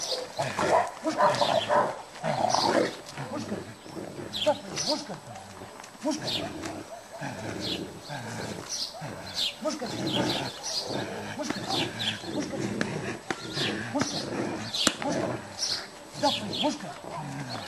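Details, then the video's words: Aggressive Cane Corso facing a stick during utility-dog training in Piatra Neamt. It gives steady, repeated loud barks over the whole stretch, with people talking underneath. "Cane corso,agresivitate la baston"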